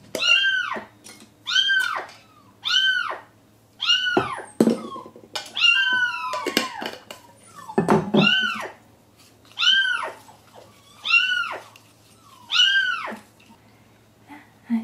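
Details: Frightened male kitten shut inside a wall of a vacant house awaiting demolition, calling steadily: about eleven arching meows, roughly one every 1.3 seconds, with a cluster of overlapping cries and scraping noises in the middle.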